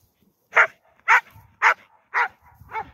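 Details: Standard Bull Terrier named Aspid, young and energetic, on a walk far from town: five short, harsh barks spaced about half a second apart, each a loud broadband burst, with faint rustling between.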